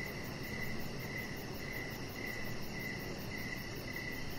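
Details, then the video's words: Crickets chirping in the evening beside a deck where Rocket, a chihuahua puppy, lies under decoration lights; short bright chirps repeat about every half second over a steady high shimmer and soft background hiss. "3 Hours Of Chihuahua Puppy Laying On Deck with Cricket Sounds"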